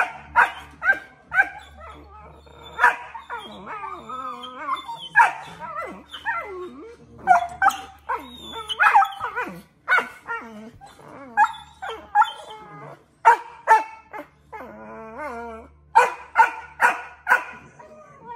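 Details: Two Australian Shepherd puppies argue at length over who gets to chew a bone: a busy, overlapping exchange of grumbling growl-whines, sliding yelps and short sharp yips, bursts coming every second or so with brief pauses between.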